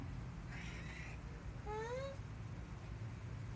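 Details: House cat on a balcony spotting a woodpecker up in a tree and calling for its owner; a short chattering trill followed by a loud rising meow, over a constant low hum.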